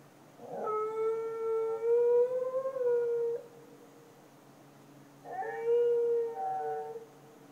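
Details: Night-time dog in Chiayi county, Taiwan, recorded in 2014, gives two drawn-out tonal howls roughly five seconds apart. The first wavers and lasts nearly three seconds, the second is shorter and breaks into a double tone, over faint steady background hum.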